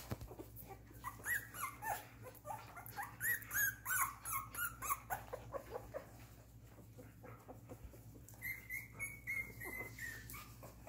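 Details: Newborn-stage Miniature Poodle litter, 2.5 weeks old, silver and silver-beige coats, squealing in a busy overlapping chorus of high, wavering whimpers and yips, followed by a longer drawn-out rising-then-falling whine near the end; constant low hum beneath.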